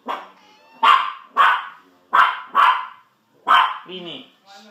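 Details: Sausage and Weenie, two pet dogs egged on to chase a cat, bark five times in a quick, uneven run, each bark short and harsh. A person's voice cuts in near the end.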